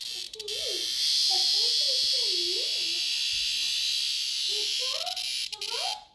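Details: A locust cicada screams in a continuous high, hissing shrill throughout while people talk over it with rising and falling voices.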